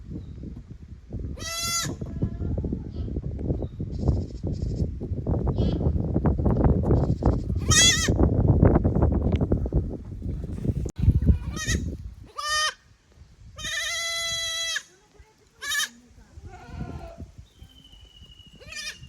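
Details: Kids from the lower pasture exploring an unfamiliar upper pasture at Yoshigake goat farm, Japan, 15 May 2024; several sharp wavering bleats scattered through the clip, with a stretch of rumbling, rustling noise early on.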